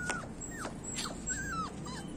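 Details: Goldie, a Labrador Retriever who does not want to play and wants to sleep, whimpers in a run of thin, high whines that slide downward, several short plaintive cries within two seconds over a quiet indoor background.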